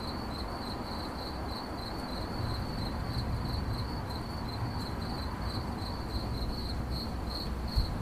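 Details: A cricket chirps without pause, each chirp a short high trill, evenly spaced about twice a second, while a dull low rumble runs underneath and a brief knock sounds near the end.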